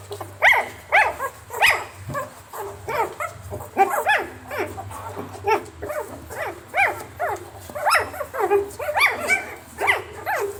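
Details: Several puppies barking in a sound-effects recording: a steady stream of short, high, sharp yaps with bright harmonics, roughly two or three per second, irregular and overlapping, over a faint low hum.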